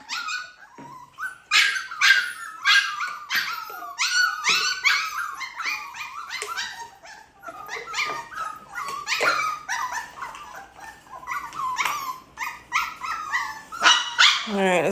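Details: Siberian Husky puppies at their first feeding of the day: continuous high whining, squeals and short yips from several pups, overlapping and pulsing in bursts throughout.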